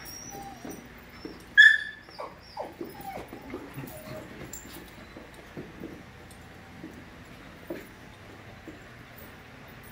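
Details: A playing group of five-month-old puppies: one loud high yelp early, followed by a run of short falling whimpers and yips that thin out into quieter scattered squeaks.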